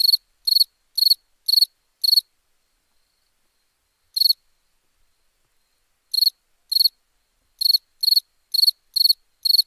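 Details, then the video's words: Crickets at night giving crisp, high, pulsed chirps in irregular bursts: a quick run of five, a lone chirp after a pause, then a rapid sequence of about ten chirps. "Relaxing Chirping Crickets"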